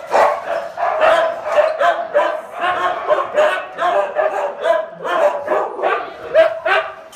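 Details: Huskies at feeding time, a pack barking and yowling without pause, harsh harmonic calls overlapping in rapid bursts that crowd the whole stretch.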